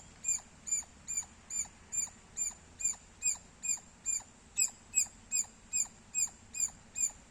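A squirrel gives sharp, high chirps repeated steadily, a little more than two each second.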